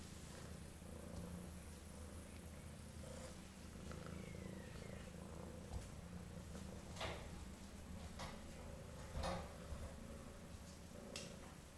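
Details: A domestic cat purring after eating, a steady low rumble running through the whole stretch, with a few brief clicks and faint household noises behind it.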